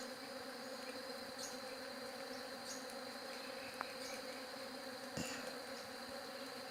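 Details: Continuous bee drone, an even low humming buzz with layered tones, runs throughout beside a steady high-pitched whine; scattered soft clicks and one sharper tap near the end.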